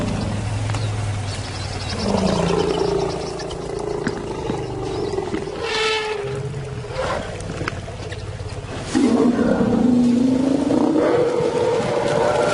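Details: Lions roaring in another lion's territory, an insult as two intimidating new arrivals challenge Simba on his turf; deep, drawn-out groaning roars with rising and falling tone, one near the start and a louder, longer one later, over a steady low rumble.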